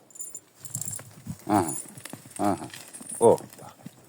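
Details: A donkey brays in loud, harsh, harmonic bursts while people coax it to call again; its companion has wandered off.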